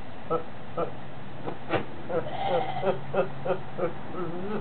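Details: Short, bleating pulses in quick succession from Horney, a goat described as laughing and sneezing all day. Nasal, wavering notes come roughly every half second, mixed with people's voices nearby.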